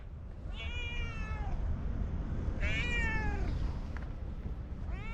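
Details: Orange tabby cat giving two drawn-out, falling, harmonic meows about two seconds apart, with a third starting at the end, over a steady low background hum.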